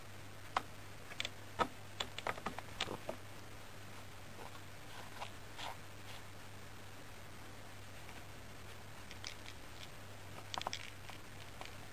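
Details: Quiet indoor room at night with a steady low hum, scattered soft taps and clicks, and brief rustling bursts; no clear animal voice.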